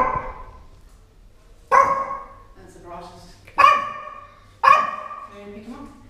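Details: Pet Yorkshire Terriers, larger than the teacup type, filmed indoors at play: three loud, sharp yaps about a second or two apart, each with a ringing tail, and a person's voice at the start.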